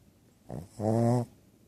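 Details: Two-year-old female Shih Tzu snoring while asleep indoors, a persistent snore despite surgery to open her nostrils: one brief snort, then a louder half-second rasping, harmonic snore, followed by quiet.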